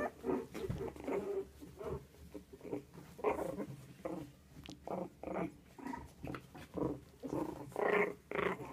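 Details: Havanese puppies giving choppy, repeated growling bursts roughly twice per second, uneven in rhythm, some with whiny, nasal edges, over a faint constant low hum.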